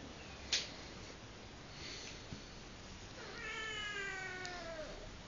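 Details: Minna the cat, playing wild, gives a drawn-out meow lasting under two seconds, with a slightly falling tone, rich in harmonics, after a sharp click and faint rustling.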